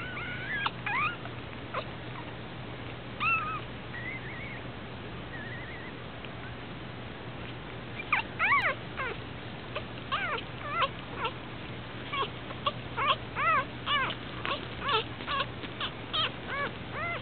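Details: Abandoned newborn puppy, eyes not yet open, on its second day: a quiet start with scattered thin cries, then a run of high, arched whimpers, each rising and falling, coming in quick uneven bursts over a steady low hum.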